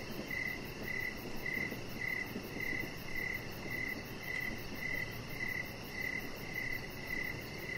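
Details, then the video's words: Outdoor crickets at evening. Their clear chirps pulse regularly, about two per second, in a high, ringing tone. A fainter, very high trill ticks along above them over a soft, steady noise bed. "Cricket Sounds"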